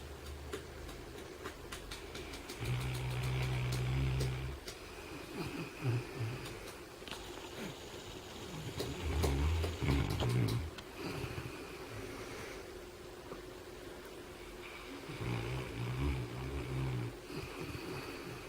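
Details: Lucy, a three-year-old English Mastiff, snoring: deep, rumbling low-pitched snores in bursts of one to two seconds, returning roughly every five to six seconds, with quieter breathing between.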